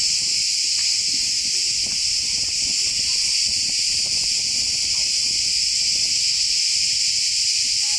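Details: In a forest in Turkey, a very loud cicada concert forms a constant piercing buzz that never breaks, with some soft low rustling and knocks underneath.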